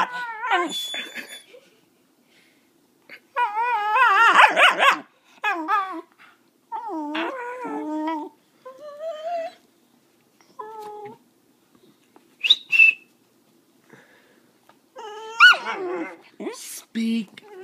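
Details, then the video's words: Puppies named Brownie and Chanel urged to sing and bark on command produce a long string of wavering whines, yips and short howling cries, broken by brief pauses, with sharp clicks between. "How to teach puppies to bark on command"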